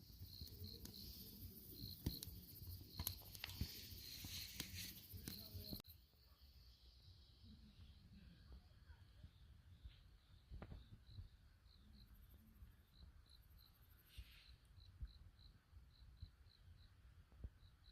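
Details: Night-time cricket chirps by a crackling campfire: a loud burst of fire and handling noise fills the first six seconds, then a steady run of short, high, evenly spaced chirps over soft popping wood.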